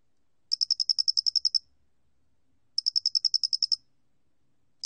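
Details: Loxoblemmus doenitzi cricket from a 2020 National Institute of Biological Resources recording, producing two clear trains of about eleven quick, high clicks, then a pause, in otherwise quiet surroundings.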